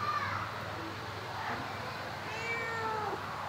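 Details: Pet domestic cat giving a drawn-out, slightly rising meow late in the clip, with a fainter high meow near the start; a person speaks nearby over background music and room noise.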